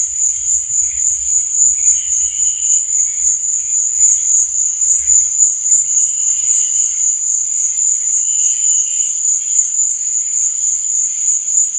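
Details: Night chorus of crickets, a continuous shrill ringing at a very high pitch that never pauses, overlaid by brief lower warbling bursts near two, six and eight seconds.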